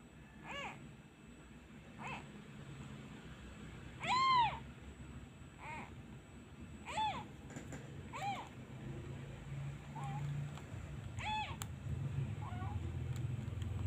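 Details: Abandoned young kitten missing its mother, crying whenever a hand is removed: a series of about eight short, thin meows of varying strength, one louder drawn-out cry near the middle, with a low rumbling noise that grows toward the end.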